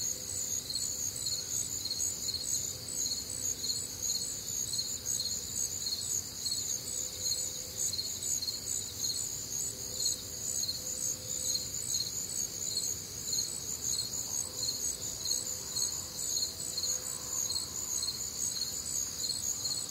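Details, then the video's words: Crickets chorusing on a warm, humid Midwestern summer night, with other nocturnal sounds: dense, steady, high-pitched pulsed chirping in several stacked bands, continuous throughout and rapidly repeated, with faint low murmurs underneath. "Night Time Cricket Sounds"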